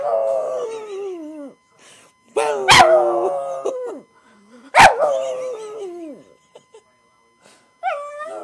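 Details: A pug howls for his owner in long, wavering, mournful notes, with sharp clicks and knocks between them.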